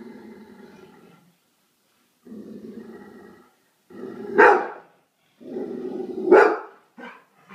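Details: Pet dog reacting to a Bengal tiger on a television screen, long low droning growls alternating with two loud explosive barks, then a short final yelp-like bark.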